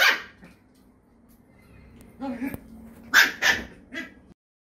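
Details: Poodle brothers Iruma and Dory together in the house, naughty Dory on his leash. One loud bark opens, followed by low whining and huffing, then a quick cluster of three strong, bright barks.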